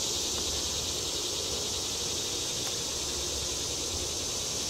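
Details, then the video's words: Continuous shrill buzzing from cicadas fills a wetland prairie in Fayetteville, Arkansas, on July 31, 2011, in drought-stricken midsummer heat. The drone stays dense and even throughout, with faint speech beneath it. "cicadas sing"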